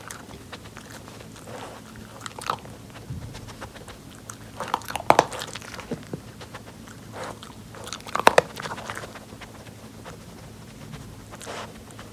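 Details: Pori, an adopted rescue Jack Russell Terrier kept indoors by distancing and snow, sniffs out kibble on a nosework snuffle mat. Dry crunching bites and chewing come in uneven bursts, with two sharp louder crunches, in a quiet small room.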